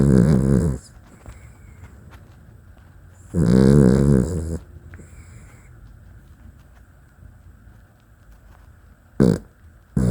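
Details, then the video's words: Deep, rattling snores from a sleeping Dachshund: a long raspy snore opens, another follows about three seconds later, then short snorting bursts near the end, with quiet room background between. "Funny Dachshund Snoring Clip"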